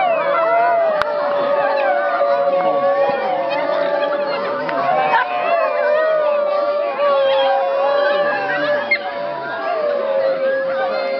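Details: Basenji Turbo yodels at the Swedish Basenji Specialty 2011, triggered by a harmonica: drawn-out, sliding, wavering yodels rising and falling in pitch without a break over a sustained harmonica tone.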